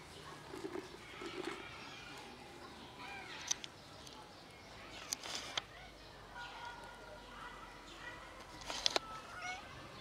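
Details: Domestic cats, a black mother cat with three kittens, playing together and then eating; several faint, tonal mews with clear harmonics sound in short runs, broken by sharp clicks and knocks, over a quiet outdoor background.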